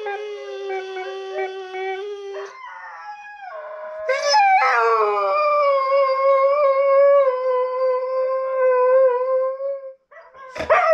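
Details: Catahoula Leopard Dog Addie responds to hearing herself on a laptop with long drawn-out howls, first a steady low note, then a louder wavering howl held for about five seconds, ending in a sharp yelp.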